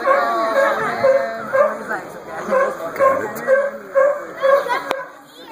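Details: Sea lions barking while playing king of the hill: harsh, harmonic barks repeated about twice a second in a steady series, with people talking nearby.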